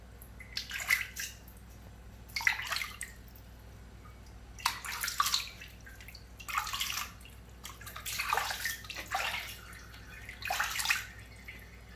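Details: Short bursts of splashing and sloshing water recur every couple of seconds in a small room over a faint steady hum.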